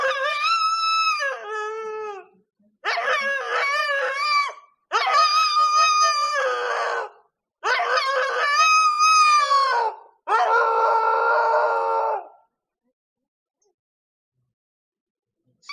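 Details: Howling of a female Siberian husky in heat, heard every night in a countryside village: five drawn-out howls in succession, wavering and slightly rising then sagging, separated by brief pauses, with silence afterwards.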